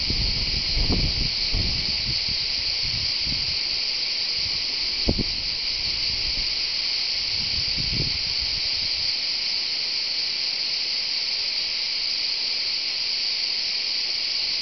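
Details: Continuous shrill buzzing of cicadas at the Tour de l'Hers in Châteauneuf-du-Pape, Vaucluse, France, recorded live; the even drone never pauses, with a few low knocks early on, then only the insect chorus.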